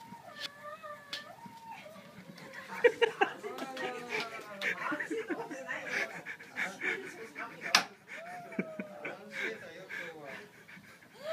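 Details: A French Bulldog, often left home alone while its owner works, greets the owner's return with excited, wavering whines and grumbling yodels while a person talks.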